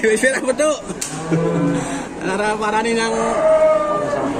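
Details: A very large head of cattle being unloaded lows with a long nasal moo that holds a steady tone for about three seconds, after some rattling and clatter.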